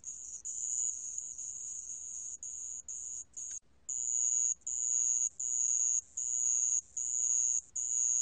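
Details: Shrill, metallic trilling of a sand cricket. It is choppy and stuttering at first, then pauses briefly and resumes as regular bursts of just under a second, each separated by a short silent gap.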